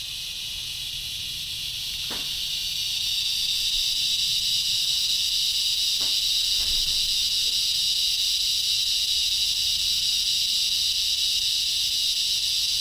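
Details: An insect in a front-yard tree gives a very loud, steady, high, hissing drone without a break, described as strange chirping or buzzing.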